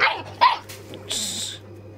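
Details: Puppies playing with their older brother on a farm give two quick high yips close together. A brief hissing rustle follows, then the sound fades to a steady low background hum.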